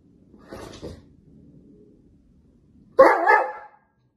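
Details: A Dobermann arguing with its owner, refusing to go outside, gives a low grumble, then one loud, harsh, bark-like yowl of protest.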